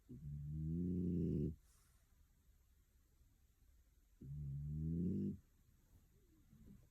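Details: Picco, a female French Bulldog aged one year two months, snoring while asleep at home in Tokyo: two long, rough, low rumbling snores, each about a second and a half, about four seconds apart, with quiet breathing between.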